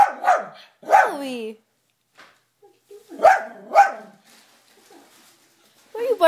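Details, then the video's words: Dog named Toby barking at himself shown on the TV: two barks, a pause, then two more, with a person asking why he is barking at himself. "Toby Barks at Himself"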